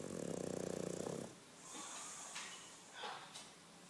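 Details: English Bulldog snoring, one rattling, buzzy snore lasting just over a second, followed by quiet breathing and faint snuffling sounds.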